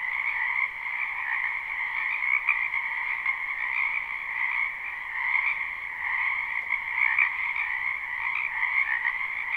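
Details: Many frogs calling together in a spring wetland, recorded live: thick, continuous croaking chorus of rapid overlapping pulses, two steady pitch bands humming on without pause, slight swells in loudness.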